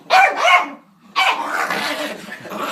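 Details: Reg, a pet dog, angrily telling off a door indoors: two loud, harsh, rising-and-falling barking bursts, a short pause, then a longer rough, noisy vocal outburst.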